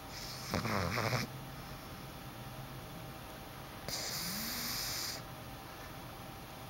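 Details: Boston Terrier puppy asleep in a dark room, snoring: two breathy, rasping snores, one early and another a few seconds later, each lasting about a second, with faint steady room hiss between them.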